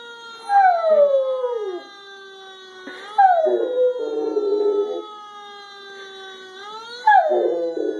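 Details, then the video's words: A normally very quiet female Rottweiler gives long, wavering howls that slide downward, answering a steady, high fire truck siren tone played from a video. "Dog (Rottweiler) Howling at Fire Truck Siren (Whistle)"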